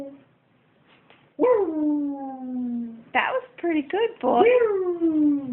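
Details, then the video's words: Howling dogs indoors: two long howls, each starting with a sharp upward flick and then sliding slowly downward, separated by a cluster of short choppy yelps and sounds near the three-second mark. "howling dogs"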